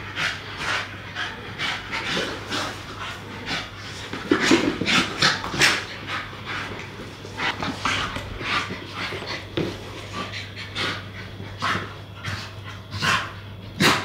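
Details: Two English Staffordshire Bull Terrier puppies in play; fast breathy panting runs on for the whole stretch, with some louder scuffling bursts midway and a constant low hum.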